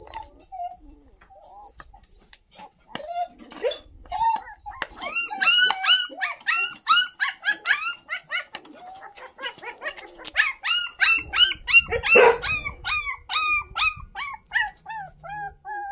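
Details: Three newly teething puppies, abandoned in a sack outside a home and trembling with fear, cry out on seeing people: rapid high-pitched arching whimpers and squeals, several overlapping, repeated about three times per second, louder from the middle on.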